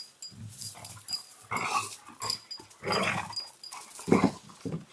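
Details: Belgian Malinois puppies from a breeder's litters give short, uneven yelps and whimpers in several bursts, with soft rustling and handling noise between the calls.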